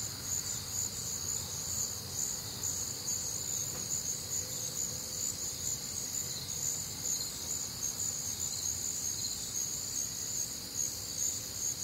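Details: Night chorus of crickets recorded on a warm, humid Midwestern summer night; unbroken shrill trilling layered in high bands, a faint pulsing rhythm, and soft low rumble underneath.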